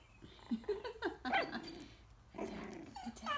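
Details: Coton de Tulear puppies, almost four weeks old, play-biting in a pen while their mother watches; low growls mixed with squeaky yips and snuffling, rough and uneven.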